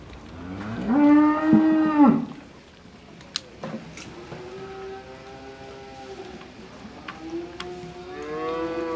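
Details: Noisy cows on Droke Farm: one loud, deep moo with a rising then falling tone, followed by quieter, lower lowing from other cattle and a final moo building up at the end, with faint clicks.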